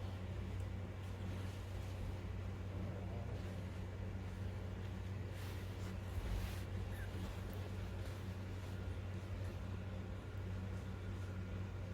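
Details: Low, continuous engine-like rumble with faint background noise and no animal voice heard.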